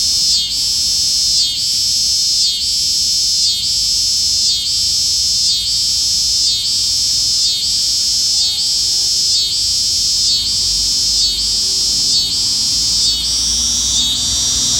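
A cicada sings a loud, continuous high-pitched buzz that pulses about once a second.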